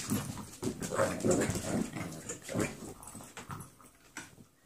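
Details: Brindy and Lady, 11-week-old foster pups, wrestling in play: repeated short guttural growls and grunts, about three per second at first, fading toward the end.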